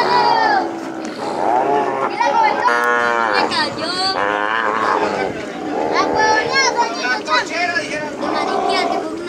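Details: Freshly branded calves released on the plains during ranch work give a steady chorus of overlapping moos, some rising and falling, with faint human voices mixed in.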